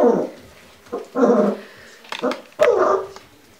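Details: Giant Schnauzer barking: three short, rough, husky barks about a second apart, each a broad burst that fades quickly, with a faint clatter between them.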